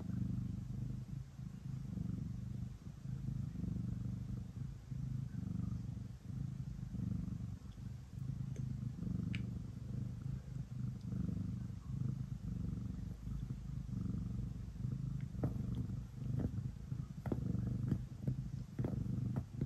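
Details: Ace, a pet cat, kneading before bedtime: a steady low rumbling purr running throughout, continuous and even, with occasional soft clicks and rustles from the kneading.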